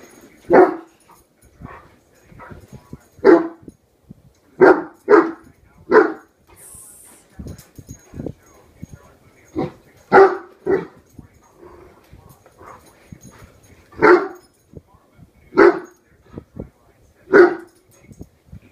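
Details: A young Great Dane, Horton, one year old, barks at a hairbrush he has decided is his mortal enemy: forceful barks, singly and in doubles, every one to two seconds, with low grumbling between them.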